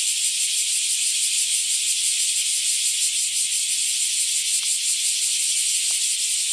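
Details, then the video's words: Bear cicadas in a loud chorus near a home on a hot day, a dense, steady, high-pitched shrilling that never pauses. "クマゼミ大合唱"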